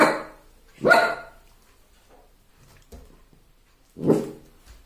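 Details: Puppy seeing himself in a mirror for the first time, giving a few sharp yappy barks at irregular intervals with soft thumps and quiet gaps between.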